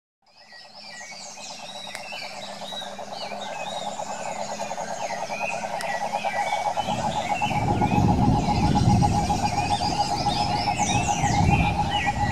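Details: Wild cane toads in the Brazilian Pantanal: a dense, continuous pulsed trilling chorus holds a steady mid pitch throughout, with scattered bird chirps above; a rushing low roar swells in from about seven seconds on.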